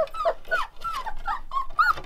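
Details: A litter of one-month-old Rottweiler puppies howl together in thin, wavering, overlapping cries that rise and fall while their mother is outside.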